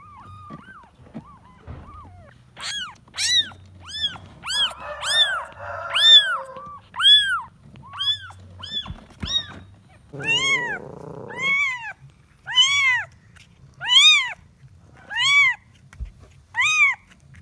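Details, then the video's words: Kitten searching for its mother, calling with sharp, arching meows roughly once a second. The cries grow louder and steadier in the second half. A brief buzzy, rasping sound breaks in twice. "The sound of a kitten looking for its mother"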